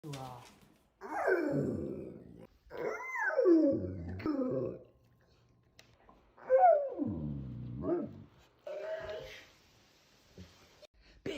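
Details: A male dog lets out drawn-out, whiny groans that slide down in pitch as he stretches.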